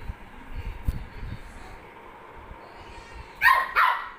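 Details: Maltese dog giving two quick sharp barks near the end after a quiet stretch with low handling noises.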